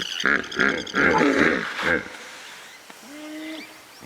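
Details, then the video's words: Hippopotamus calling with a run of five loud, deep, pulsed honking grunts in quick succession over about two seconds, each rich in harmonics, then a quieter tail with a faint rising tone. "Hippo Sounds"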